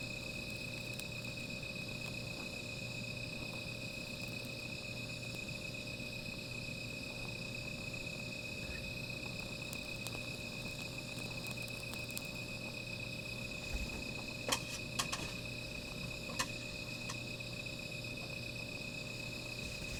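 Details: Night insect chorus beside a small outdoor fire, a constant high-pitched ringing trill holding steady throughout, with a few sharp crackling pops clustered in the second half.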